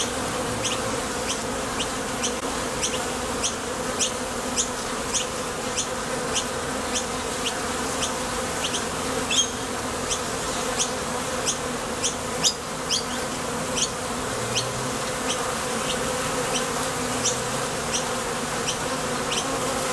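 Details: Steady, full buzzing of many honey bees flying in and out of a Top Bar Hive entrance while foraging for nectar, with repeated short high ticks of passing bees over the low drone.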